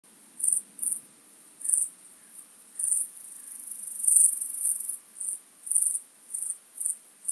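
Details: Pygmy toothed grasshopper, Stenobothrus crassipes, at Fischawiesen, Austria, 5 August 2022; high hissing chirps in short bursts, roughly two per second, with one longer buzz midway.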